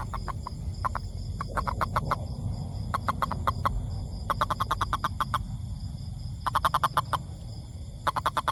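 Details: Toad calling in fast trains of clicking croaks, each burst holding five to eight notes, over a steady low rumble.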